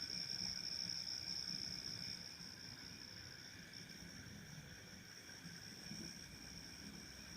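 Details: Insects heard around a house while its owners are away: a continuous shrill high steady tone with fainter lower overtones, strongest for the first two seconds then slightly softer, over a faint low rumble.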